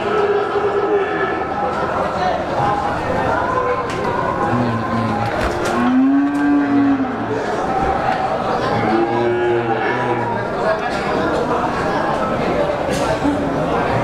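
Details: Breeding cows at a cattle market in Pemalang, September 2018: several drawn-out low moos overlapping, from different animals, over a constant dense crowd din of voices and market noise.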